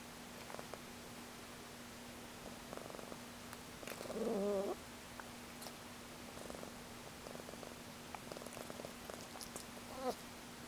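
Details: Ragdoll cat purring softly while napping indoors, a quiet, steady pulsed rumble, broken near the middle by a brief soft chirping vocalisation, with a constant low electrical hum in the background.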